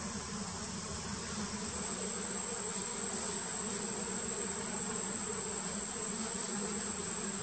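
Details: Wild Apis dorsata honeybees around a queen being painted: an unbroken low droning hum of a crowd of bees with layered overtones, and a steady shrill whine entering partway through.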